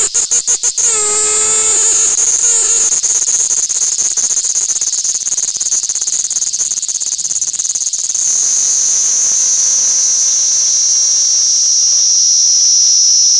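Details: Platypleura kaempferi cicada singing while held in the hand in Tokyo, Japan, on August 3, 2021; a few sharp pulses open into a loud, sustained shrill whine, with a faint lower rising tone in the background.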